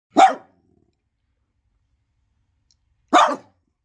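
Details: Pet dog barking: two short, harsh, sharp barks spaced about three seconds apart, with quiet in between and no other sounds.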